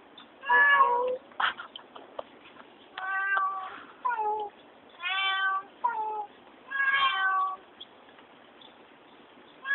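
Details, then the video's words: Domestic cat described as talking, giving six drawn-out, tonal meows of varying length over ten seconds, some rising and falling, with quiet pauses between; indoor setting, no other clear sounds. "Talking cat"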